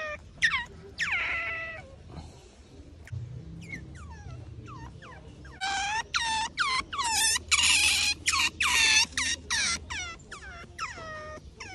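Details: Wild Asian small-clawed otter in a mangrove otter conservation center after waking up early, giving a run of high, descending chirps and squeals that grow into rapid repeated calls, with faint low hum behind.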